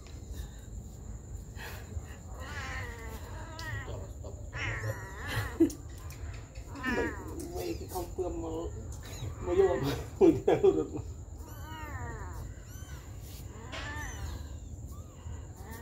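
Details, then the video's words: Mother cat looking after her baby kittens, a busy run of overlapping high, wavering mews and squeaky cries, with a few louder bursts around the middle. Soft human speech and handling noises sit underneath a steady high whine. "Very good mom cat is taking care of her baby kittens"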